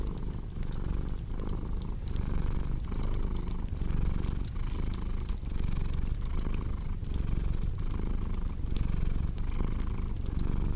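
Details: Relaxing blend of a purring cat and a crackling hearth fire: a rumbling purr rising and falling steadily roughly every second, with a busy sprinkle of sharp wood-fire pops on top.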